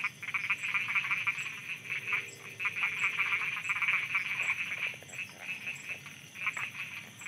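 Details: Night chorus of frogs in Thailand: dense, continuous raspy croaking from many overlapping callers, rapid pulses merging into a buzzing wall, with brief lower tonal notes and soft rhythmic ticking behind.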